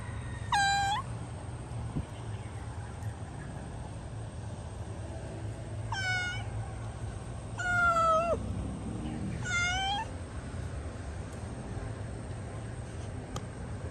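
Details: Cat locked in a hole, meowing four times over about ten seconds, with wavering, strained cries, one lower and longer, against a low droning rumble and a steady high whine.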